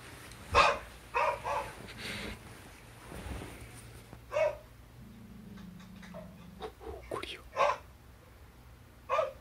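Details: Border collie Harry, now deceased, barking from a recording played on a TV through Chromecast, making the hachiware cat Lou react and run away; sharp broadband barks scattered among talking voices and a low hum.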